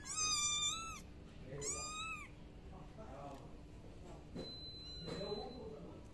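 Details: Domestic cat giving two clear, drawn-out meows, each falling slightly in pitch and about a second apart, followed by soft rustling and quiet room noise.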